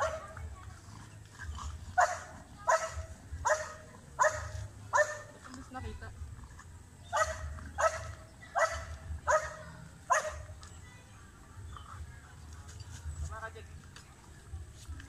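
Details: Belgian Malinois in urban search and rescue training on rubble, giving aggressive indications: harsh barks in bursts, about one every half second from two to five seconds and again from seven to ten, with low engine-like rumble beneath.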